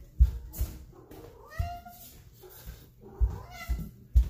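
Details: Domestic cat in a bathroom while being fed wild red king salmon fillet, giving a short harmonic meow that falls away, then a second brief meow, amid loud low thumps and knocks and a man talking to it.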